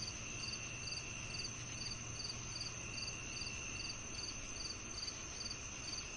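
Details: Rapid cricket chirps, bright and high, repeated roughly every half second in an even rhythm, layered over a continuous whining insect hum and soft low-frequency noise.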